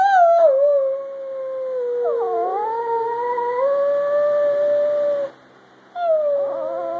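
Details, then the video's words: Pet Chihuahua howling indoors: long sustained tonal howls, sliding down then dipping and rising into a steady drawn-out note held for several seconds, a brief silence, then a falling whine. "my Chihuahua, howling"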